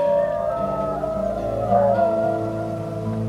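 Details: Captive New Guinea singing dogs howl together in sustained, musical tones that slide and overlap, one dog leading while others add backing notes. The howls are being recorded for analysis.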